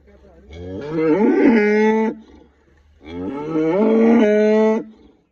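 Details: Red Friesian cross cow lowing while being milked from two teats: two long harmonic moos, each about one and a half seconds, rising then holding steady, separated by a short pause; a man speaks nearby.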